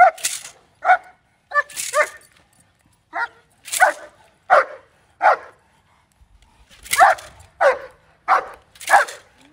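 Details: First day of bite work for the German Shepherd Justyce, who barks steadily in loud, sharp bursts, some clustered in pairs, with a short quiet gap before a final run of barks.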